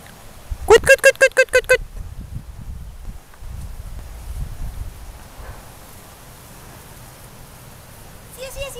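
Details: Golden retriever Lia with her puppies, dated 18 06 14: a quick burst of about seven high, ringing yelps packed into one second, then quiet low rumbling and handling noise before another yelp series starts at the very end.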